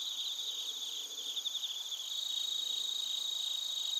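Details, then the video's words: Many crickets, including bell crickets, chirp together in Narita, Chiba Prefecture, Japan, recorded on a TASCAM Portacapture X8. A continuous high-pitched ringing chorus with rapid pulsed trills grows slightly louder toward the end. "スズムシとコオロギの鳴き声 - Chirping of crickets"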